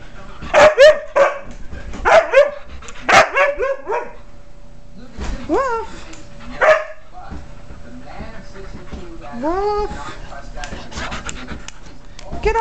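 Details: Pet Siberian Husky jumping around on a bed indoors; a series of rising, yelping whines and woo-like howls, several short bursts early then longer upward-sweeping cries, with a person laughing and saying get off here.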